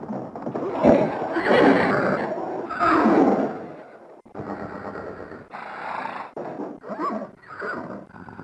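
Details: Horses give loud, rough whinnies, followed by quieter, shorter nickering calls.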